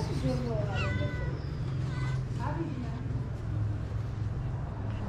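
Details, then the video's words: Abandoned cats in Morocco crying for food and unwilling to share it with one another: several drawn-out harmonic meows, some rising then falling, over a steady low rumble of background hum. "Cats that came crying for food"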